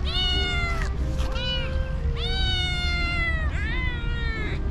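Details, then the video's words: Hungry cats and kittens gathered around a feeder, begging for food: loud overlapping meows, several drawn-out rising-then-falling calls with rich harmonics, steady low rumble and a faint sustained musical tone underneath. "Hungry Cats and Cute kittens gather around me and meowing for food."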